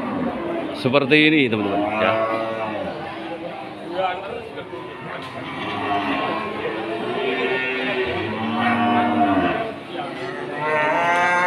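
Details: Limousin cattle at Pasar Wage Pati market: a short moo near one second, then long, wavering lows later on, mixed with a constant hum of people talking.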